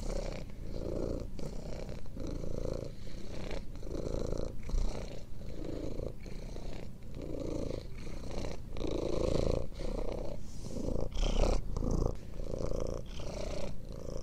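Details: Long, even purr of a domestic cat intended for relaxation and sleep: low vibrating rumble repeating in steady breath cycles, around a dozen, with faint gaps between.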